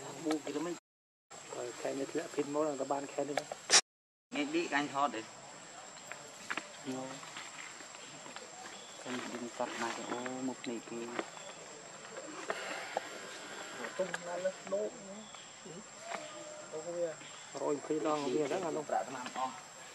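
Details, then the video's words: Baby monkey Leo, very hungry and begging mom for milk, cries repeatedly in wavering, warbling whimpers that rise and fall, broken by brief gaps, with a thin steady hum and scattered clicks behind. "Very Angry Need Milk"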